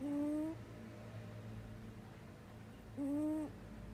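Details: Domestic cat snoring in its sleep with an unusual sound: two clear, evenly pitched whistling breaths of about half a second each, three seconds apart, with a steady low hum indoors.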